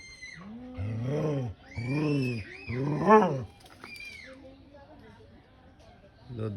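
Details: An angry cat caught up in a quarrel between two animals gives three loud, low, drawn-out moaning yowls in quick succession. A higher thin tone and a few voices follow.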